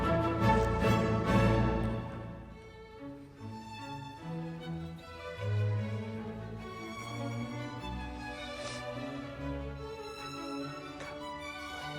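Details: Orchestral music with prominent fiddle and deep bowed strings, sustained chords and a steady melody throughout, no animal calls audible.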